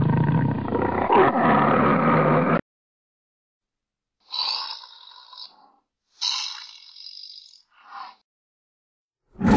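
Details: A tiger and its cubs: a deep, rasping roar, then shorter, higher mewing calls separated by abrupt silences.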